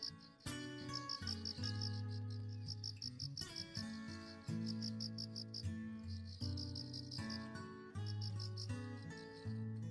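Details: Autumn dawn cricket chirps from an outdoor flower bed after rain: bursts of fast, high, pulsing trills with short gaps, heard beneath gentle instrumental music with guitar-like notes that dominate the low range.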